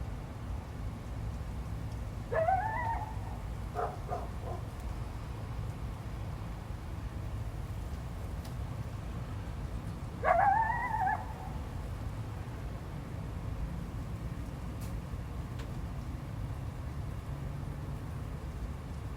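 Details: Coyote howling as a territorial warning after a dog barked near its territory, 12 February 2025: two separate calls, each a sharp rising yelp that bends into a brief wavering howl, spaced about eight seconds apart over a low constant rumble.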